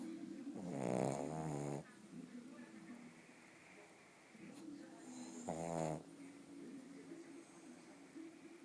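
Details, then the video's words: Bóris, a sleeping pug, makes two strong fluttering snores several seconds apart, with gentle wheezy breathing in between. "Pug Bóris Roncando"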